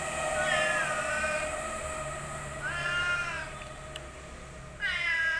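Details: Orange domestic village cat named Boy, a pet in Indonesia, gives three wavering, drawn-out meows, one at the start, one in the middle and one at the end, over a steady low hum.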